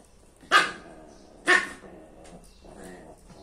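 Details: Lhasa Apso mother playing with her daughter at home: two sharp, bright barks about one second apart, then quieter scuffling sounds of play.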